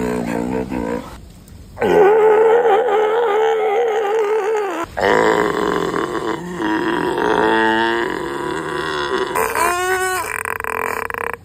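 California sea lion gives loud, gruff, wavering calls in bursts, separated by short pauses.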